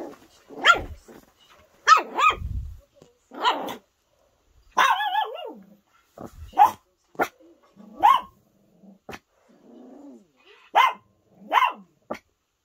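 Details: Two pet chihuahuas, a puppy and a two-year-old, indoors; sharp high barks in short bursts with a brief wavering yelp near the middle, spaced irregularly across the recording with quiet gaps between.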